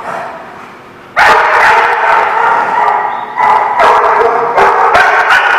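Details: Several dogs at The Barking Lot, November 2017, break into loud continuous barking after a quieter first second, with sharp repeated barks and yips overlapping throughout.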